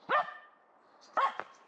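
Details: Two abrupt, loud barks about a second apart from a female dog in a cone after a right leg operation, hunting a squirrel in a local forest in December 2021.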